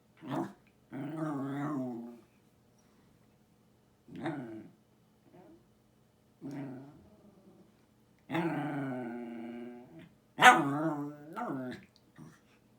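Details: Lusya, a pet Jack Russell Terrier, 'talks' indoors in a long run of moaning, growly whines, rising and falling in pitch like speech, in several drawn-out phrases with short pauses, one ending in a sharp yip.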